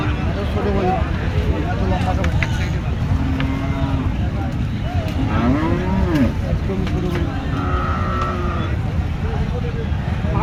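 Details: Bulls at the Chandaikona cattle market, a busy muddy market with bargaining going on; a drawn-out low moo rises and falls near the middle, with other lowing, crowd chatter and engine noise throughout.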